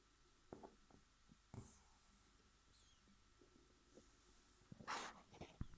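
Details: A Shih Tzu puppy, resting after a whole day of activity, snores softly with faint, irregular snuffles and one louder snort.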